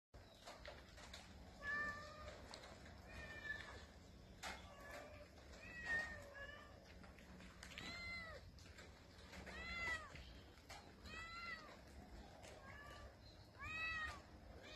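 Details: Street cats meowing outdoors: a series of arched, harmonic meows rising then falling, coming every one to two seconds with some overlapping, over a steady low background hum.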